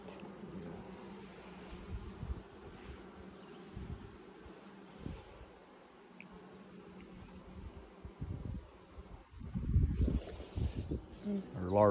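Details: Colony of honey bees buzzing as their hive is opened for a first inspection six days after nuc installation in 2020; a continuous low hum dominates, with rustling and handling thumps and a voice near the end.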